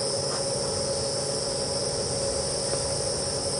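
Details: Cicadas drone steadily on a breezy evening after rain at Djuma Game Reserve, South Africa, on 17 November 2015, their buzzing mixed with the shrill trilling of crickets as nocturnal insects come out.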